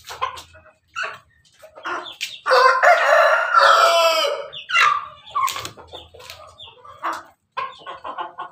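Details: Melodious crowing of an Ayam Ketawa cockerel perched atop its pen, a loud sustained harmonic crow in the middle, framed by quick choppy cackling notes and softer clucks before and after.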